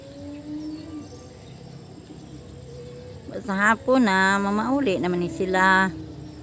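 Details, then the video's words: Evening feeding of a herd of goats: after a quiet start with a faint steady tone, three loud, quivering bleats ring out, the middle one long and wavering. "haponan sa mga kambing ko"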